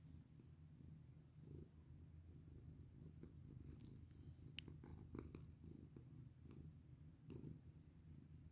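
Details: Domestic cat purring steadily while being petted indoors, a low continuous rumble pulsing in slow breaths, with a few soft clicks and rustles of handling.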